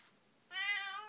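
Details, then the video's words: Domestic cat indoors, meowing while her owner talks with her: a single drawn-out meow about half a second long, clear and harmonic-rich, starting abruptly after quiet room tone. "A conversation with my cat"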